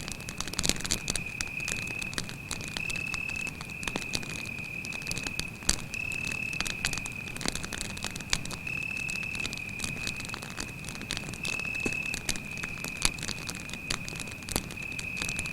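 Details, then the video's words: Night-time cricket near a campfire in the forest: a continuous shrill trill that wavers slightly in pitch every few seconds, over constant fire crackling and occasional loud pops. "звуки сверчка"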